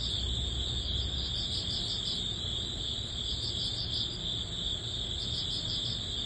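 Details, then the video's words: Early-autumn crickets at summer's close, several insects trilling together in a continuous high buzz, with pulsed chirps rising and falling in strength over a dull low background noise. "여름의 끝자락 초가을 풀벌레_ 백색소음_ Cricket sound"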